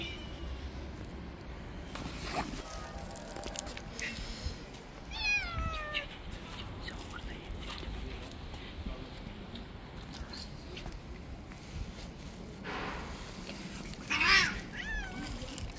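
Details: Male cat that bites a finger because his food came late, uttering clear wavering meows, one around the middle and a louder one near the end, with light rustling and low background hum.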